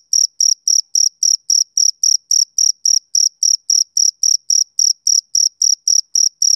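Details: Summer-evening chirping of a male cricket, a clean sequence of about two dozen sharp, high-pitched pulses repeating at a brisk, regular beat of nearly four per second against total silence.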